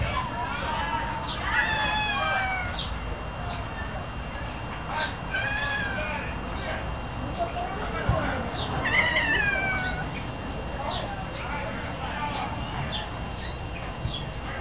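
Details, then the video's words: House cat giving repeated meows before being fed and later eating and washing itself; clear descending, slightly wavering cries near the start, middle and ninth second, with soft clicks, a low background hum and human voices. "Cat Meow"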